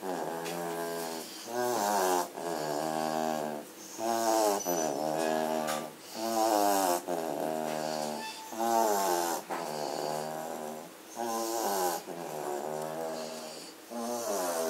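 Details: Katelands German Shorthaired Pointer puppies, including Blake, sleeping indoors on 27 September 2016 after a frenzied play session. Loud, tonal snores come in regular bursts about every two to three seconds, each separated by a brief silent gap.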